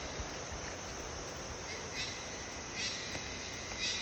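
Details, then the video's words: A dense, steady insect chorus in the Sinharaja rain forest hisses and shrills high overhead, with brief louder pulses rising through it. "INTO-THE Jungle - insect loud noise (sinharaja rain forest)"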